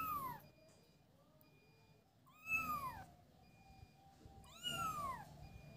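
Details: Kittens at play let out bright, falling meows: one trailing off at the start, then two louder ones about two seconds apart. Faint steady whistling tones and low room noise fill the pauses.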